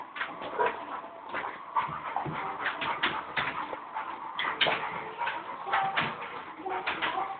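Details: Sasha, a male Labrador Retriever, whimpers because he can't reach his favorite toy, a frisbee: a dense, continuous stretch of high, strained whining broken by quick yelping bursts throughout.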